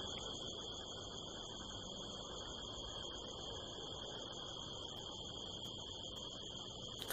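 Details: Crickets calling near nine o'clock at night on Tuesday, September 25th, in the California desert under a harvest moon; a constant high-pitched trill in layered tones with a low hiss underneath and a few faint ticks toward the end.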